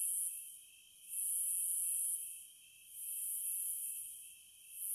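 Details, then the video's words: Cicada song in three high, hissing waves that swell and fade about every second and a half, with a steady faint hum underneath. "Sounds of the Wilderness & Nature ASMR Study Rest Relaxation Sleep White Noise No Music - Cicadas"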